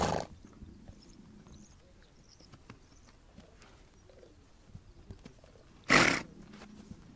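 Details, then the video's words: Horses on the Mongolian steppe, two short noisy blasts of breath, one at the very start and a louder one near the end, with quiet clicks and faint low rustling in between. "Relax listening to the sound of horses"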